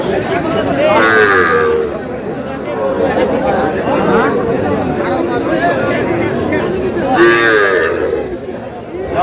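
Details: Young bull calves at a cattle market in Comilla, Bangladesh, on 10 June, with a farmer buying: two short bellowing moos rise over the din, one near the start and one near the end, beneath constant crowd chatter and men haggling over prices.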